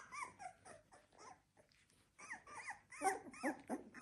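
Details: A litter of 16-day-old Labrador Retriever puppies cries in quick, wavering squeals that bend up and down. There is a brief lull midway, then a denser run of overlapping whines.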